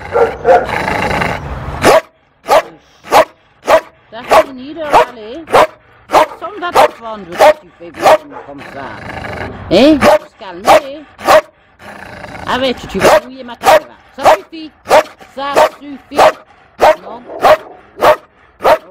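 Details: Timid female Malinois in an SPA shelter, Toulouse, April 2014, barking steadily and rhythmically, roughly twice per second, with some whining tones and human voices mixed between the barks.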